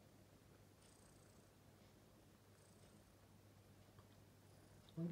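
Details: A 6-month-old domestic cat resting indoors beside a 1-year-old German Shorthaired Pointer. The cat gives a quiet, steady, low rumbling purr. A faint soft thump comes right at the end.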